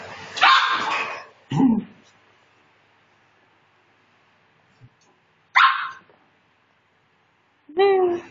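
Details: Maltese puppy giving a few short, sharp yips and barks in separate bursts with long quiet gaps between them, ending on a higher, tonal whining yelp.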